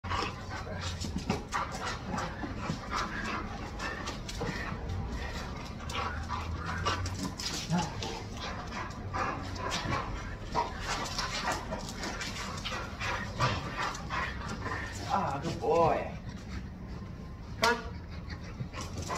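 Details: A Chow Chow being trained with tug play makes a steady run of rough, breathy panting and low grumbling while a person gives commands; a few sharper, higher notes break through near the end.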